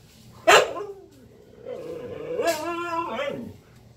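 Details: Female Siberian Husky protesting after another dog took her toy: a sharp bark, then a long, drawn-out, wavering howl-like yell, rising and falling for about two seconds.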